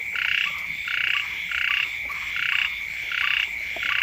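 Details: Frogs calling beside a house when the first rains come, several kinds together. Buzzy, nasal croaks sound in short bursts about every 0.7 seconds, six in all, over a steady high ringing drone.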